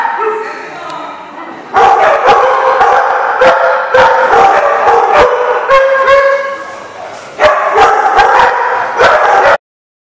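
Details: Several dogs bark at a kennel lot, recorded on 14 November 2014; dense, overlapping harmonic barks and yips run almost continuously, rising again after a brief lull, then stop abruptly.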